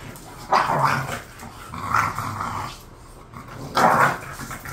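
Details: Khan and Ali, two bored pet bulldogs, let out drawn-out, rumbling growls that swell and fade in three separate bouts, with quieter breathing between them.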